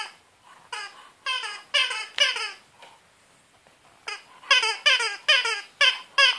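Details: French Bulldog playing with a rubber spider gives short, high, whiny vocal bursts that slide downward, repeated in quick clusters.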